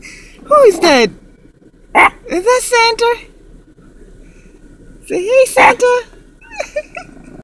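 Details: Chihuahua barking at Santa: high-pitched yappy barks in two clustered bursts, one opening with a harmonic call sliding sharply downward, alongside a person's voice.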